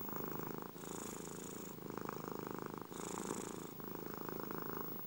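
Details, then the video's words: Domestic cat purring in a low, rattling, finely pulsed rumble that swells and eases in alternating phases about a second long, with a hissier breathy layer on alternate phases. No other sounds. "ronronnements des chats"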